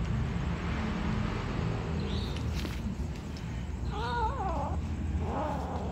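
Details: Cat calling while a black kitten, a white kitten and other cats eat: two short wavering meows near the end, the first bending up and down, the second shorter, over steady low rumbling background noise.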